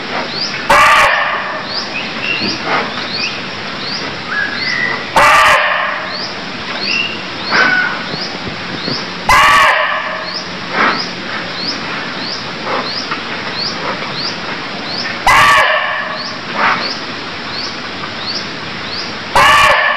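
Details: Barking deer in Cambodia calling: short, loud, harsh bark-like bursts repeated roughly every four to five seconds over a steady chorus of high chirping insects or birds.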